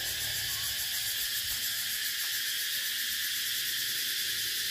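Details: Unbroken high-pitched cicada buzzing, dense and hissy with faint pulsing bands, holding steady in volume throughout.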